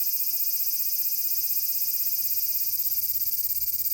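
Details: Close, loud large brown cicada song in summer at Furuta Magarikawa, Nishinoomote, Tanegashima, 30 July 2022. An intense high frying buzz, finely pulsing at about four beats a second, fills the clip.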